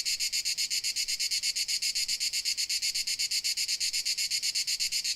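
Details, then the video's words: Crickets in Dalmatia, Croatia: a fast, even train of high, bright chirps pulsing about seven times a second without pause, with no other sounds standing out. "Dalmatia Crickets Sound Effect"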